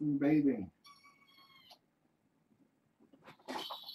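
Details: Bedtime with a litter of six foster kittens, four girls and two boys, born August 29 and taken in through Purrfect Pals: one high, steady kitten meow of about a second, framed by human talking before and after.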